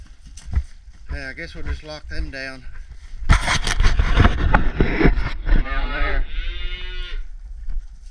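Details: Red Angus cattle, calves and cows being worked in a pen during a session that includes a castration. Two drawn-out, deep moos with stacked harmonics, the second wavering and fading. A loud noisy clatter of handling falls between them, with some human talk.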